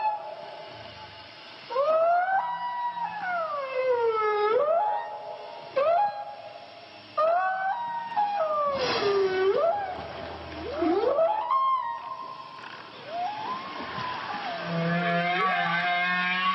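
A whale sings in long, sweeping, moaning tones that rise and fall with rich harmonics.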